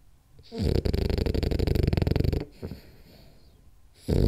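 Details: Rolly the French Bulldog asleep, giving one drawn-out, fluttering snore with a rapid rattling buzz for nearly two seconds, a brief soft breath after, then the next snore starting.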